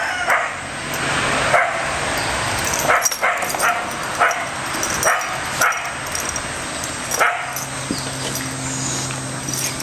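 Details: Three pet dogs at play: Bella, an American Staffordshire terrier, Orson, a red heeler pup, and Patches, a Border Collie. Short, sharp barks and yips burst out about every second or two over a steady background hum.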